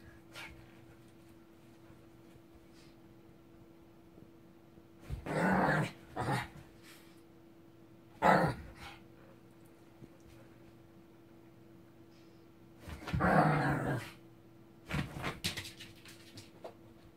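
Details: Ssong, a pet Shih Tzu, angry: short harsh rasping snarls and growl-barks in three main bursts, around five, eight and thirteen seconds, separated by quiet pauses, with a steady electrical hum behind.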